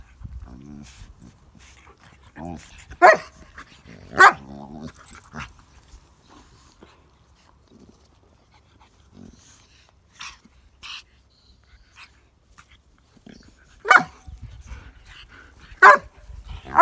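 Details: A pug playing with baby pugs gives short, sharp yelping barks spaced several seconds apart, with faint voices in between.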